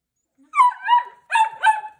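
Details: Pet Italian Greyhound from Awaji Island, Japan, "speaking": two drawn-out, wavering, yowling vocal phrases, each rising then sliding down, voice-like and tonal, with a short pause between them in a quiet indoor setting.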